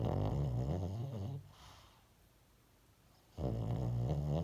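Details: Low, throaty snoring from a sleeping dog: a buzzing rumble lasting over a second, a quiet pause of two seconds, then the next rattling inhale begins.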